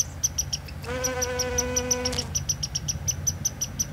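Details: Honey bee at a dandelion in Newfoundland, filmed by a beekeeper: a steady, low, harmonic-rich buzz lasting just over a second, rising slightly. Short high chirps repeat throughout the background.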